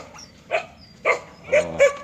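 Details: Native Korean Jindo dog barking: four short, sharp barks with bright harmonic tops, spaced about half a second apart, over a low background rumble.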